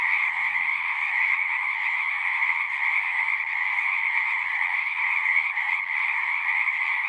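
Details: Massed frog chorus, an uninterrupted buzzing trill at two high pitches with only slight swells in loudness; nothing else stands out.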